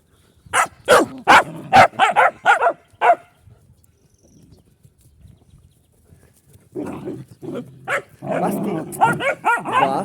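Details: A dog gives a quick run of about eight sharp barks over three seconds, then falls silent. A denser stretch of barking follows, mixed with a man's voice speaking Czech.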